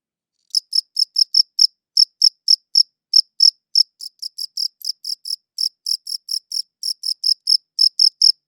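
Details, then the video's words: High-pitched cricket chirps begin after half a second of silence, coming in quick bursts of several pulses with short pauses between groups, some chirps softer than others; no background noise. "Cricket Chirping Sounds"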